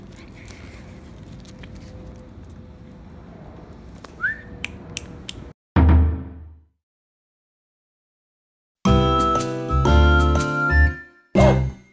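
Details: Background hum with a brief whistle, then thumps, silence and bursts of music, with no animal voice heard.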